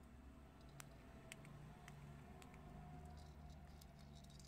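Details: Several prairie dogs eating chickpeas, their chewing heard as rapid dry clicks and crunches, irregular and closely spaced, over a low steady hum indoors.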